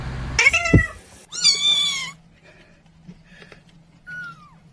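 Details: Domestic cat giving two loud, strained meows in quick succession, the second long and wavering, followed by faint softer calls and a short downward-sliding mew near the end over a low steady hum.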